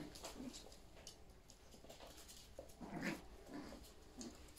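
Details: Yorkshire Terrier puppies playing with their mother indoors, running everywhere; soft short whimpers and yips come in brief bursts over a quiet room with scuffling and pattering feet.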